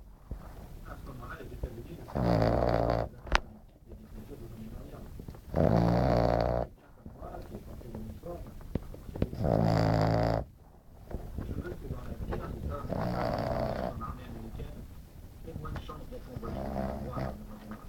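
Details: Glamy the French Bulldog napping and snoring heavily: a steady run of five coarse, rumbling inhalation snores about three to four seconds apart, the later ones slightly softer.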